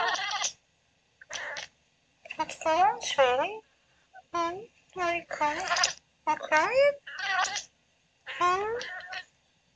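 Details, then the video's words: Female Oriental Shorthair cat talking while asleep and dreaming: bursts of short, harmonic mews and chirps, several wavering up and down in pitch, grouped in quick runs separated by brief silent pauses. "Cute Cat Talking in Her Sleep"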